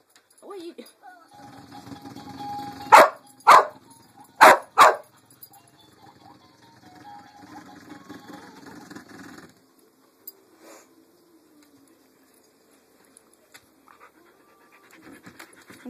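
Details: Lucy the dog barks at a Pink Pig Bumble Ball. A quick burst of four loud barks rises over the toy's buzzing rattle, followed by quieter toy noise and a person's voice.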